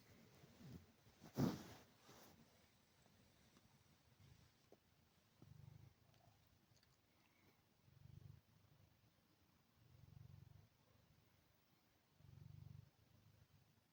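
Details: Sette, a male Maine Coon cat kept indoors by a family, gives low, soft rumbling pulses that swell and fade every two to three seconds in a quiet room, after a brief loud thump near the start.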